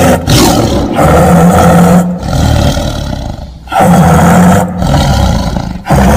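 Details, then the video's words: Rumbling tiger roars follow one another closely. Long, growling phrases rise and sink in loudness, with a low moaning undertone and short breaks roughly every second or two. "Suara Harimau"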